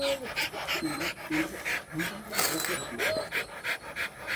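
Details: Rottweiler during mating, panting in quick, rough breaths about every third of a second, while people talk and laugh in the background.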